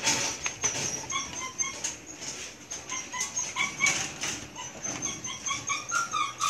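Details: Belgian Malinois puppies, about one month and two weeks old, at milk feeding time, a litter giving many short, high squeaky whimpers that overlap in quick bursts over a soft hiss of movement and lapping.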